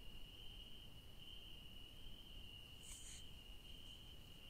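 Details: Crickets calling at night in a garden where yellow daisies grow: one steady, unbroken high-pitched trill runs through the whole stretch, with a brief hissy burst just past the three-second mark.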